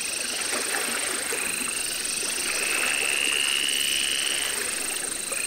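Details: Baron's mantella, a captive frog at the Parc Zoologique de Paris in September 2014, species from Madagascar; rapid trains of tiny clicks merge into a high, slightly rising buzzy line, over steady hissing enclosure noise and a constant high hum.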